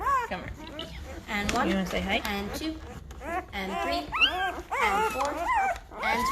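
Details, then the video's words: Newborn Great Bernese puppies at five days old cry out: clustered, rising and falling whimpers and squeaks from several pups, a few lower grunting tones mixed among the higher wavering whines. "Great Bernese Puppies are 5 days old and getting noisy!"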